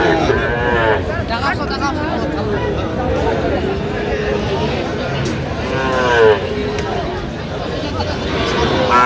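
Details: A Sahiwal bull at a busy cattle market in Sylhet, Bangladesh, 10 January, lows twice, once early and once late, with wavering bellows over constant chatter and crowd noise.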